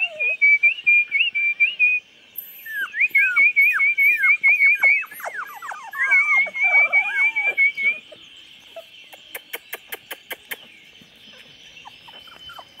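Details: Twenty-four-day-old chocolate Labrador puppies, 8/11/2014, whimpering in quick wavering high trills and many short squeaky peeps, fading after eight seconds into a row of fast clicks and faint background hiss.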